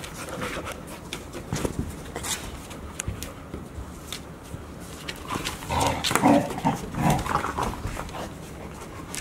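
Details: Five Golden Retriever puppies, Chiro's litter, 144 days old, playing together indoors at Ain village on 15 September 2018; scattered panting and scuffling, then a louder cluster of short voiced growls and whines near the end.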